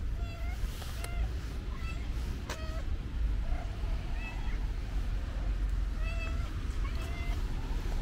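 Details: Affectionate pink-nosed stray cat on the street, giving about six short, rising-falling meows spaced across eight seconds, each clean and tonal, over a constant low rumble of background noise.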